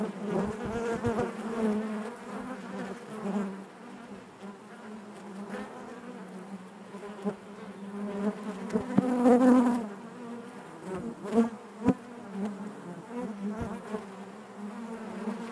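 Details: Honey bees in the hive produce a steady collective drone, rich in overtones, with a pronounced swell near the middle and a few quick loud buzzes from single bees later on.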